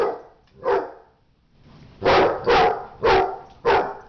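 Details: Dogs fighting: one dog barks loudly, one bark, a pause, then four sharp, harsh barks about half a second apart.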